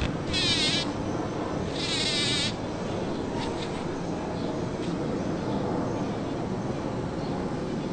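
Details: Bumblebee working Champlain rose flowers in a back yard in Toronto, Ontario, on June 5; bursts of loud buzzing near the start and around two seconds, then a fainter steady hum among other insects.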